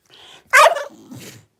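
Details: A new puppy makes funny noises: a soft breathy sound, then one sharp bright yip, followed by a low trailing grunt.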